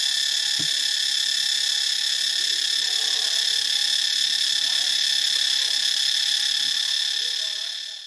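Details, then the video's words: Cicada buzz at Ubon Ratchathani, Thailand: an intense high-pitched continuous drone with a fast throb, faint low sounds underneath, fading away at the very end. "เสียงจักจั่น (Cicadidae)"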